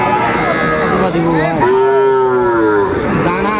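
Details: Sahiwal calf at Aftabganj cattle market, Dinajpur, Bangladesh, 2 September 2025. One long, clear, tonal moo holds for over a second and then fades, while men's voices murmur behind it.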